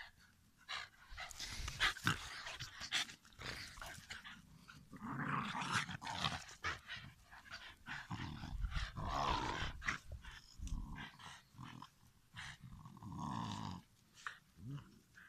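A Shiba Inu gives harsh, noisy vocal bursts mixed with low growls and panting.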